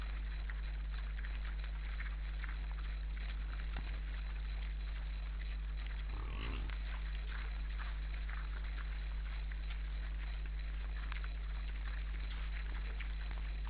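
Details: Wild boars at an Estonian forest camera, a group of eight in the evening of 12 December 2012, two of them conversing: a single short, low grunt midway, set against a steady electrical hum and faint rustling.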